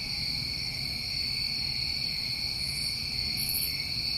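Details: Summertime crickets of New England at night keep up a constant high, ringing trill in several layers, joined toward the end by two quick, very high buzzy bursts over a soft low background.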